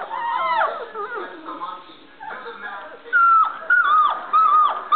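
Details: Playing Standard Poodle puppies, still learning to bark, let out squeaky whining yips, then three sharp, loud, high yelps in quick succession near the end, with human voices faintly mixed in.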